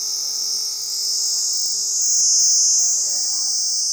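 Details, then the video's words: Cicada calling from a tree: a loud, steady, high-pitched buzz that drones without a break, swelling slightly midway, with faint low hum underneath. "CICADA SOUNDS COME FROM STOMACH IN 🌲 TREE.."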